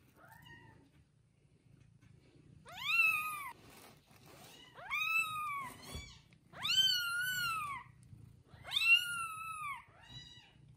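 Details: Kittens only one day old, newborn and resting with their mother, cry in four or five long, loud, bending mews spaced about two seconds apart over a low hum.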